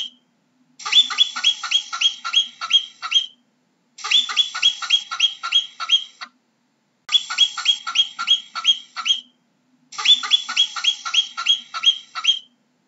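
A marmot calls in quick bursts of eight or nine sharp, high, slightly nasal chirps, each series lasting a couple of seconds. Short silences separate the bouts, and no other sounds intrude.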